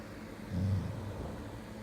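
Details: Golden Retriever snoring: a low, rough rumble swells for about a third of a second, then settles back into a steady low hum.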